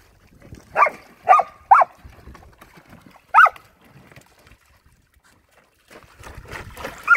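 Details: Backyard poolside romp of a Samoyed and a Keeshond, Luma and Zuko, getting their paws wet; three quick barks in a burst, a lone bark after a pause, then shuffling and movement noise.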